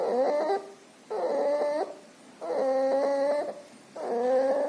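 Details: Sick puppy with pneumonia and distemper, with nasal discharge, breathing loudly: harsh, tonal wheezing rasps about half a second to a second long, repeated roughly every second and a half in steady rhythm.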